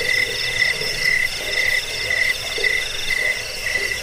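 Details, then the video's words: Crickets chirping, a recording played to drive away rats, as a sleep aid and for training songbirds; high pulsed trills at two steady pitches, beating about twice a second, with a faint lower buzzing underneath. "Suara jangkik"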